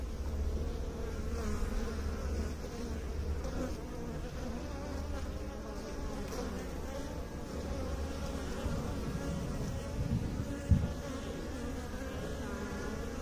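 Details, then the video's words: Bees humming in a thick, even drone, deep harmonics wavering gently, with one brief sharp knock near the end. "Bee song"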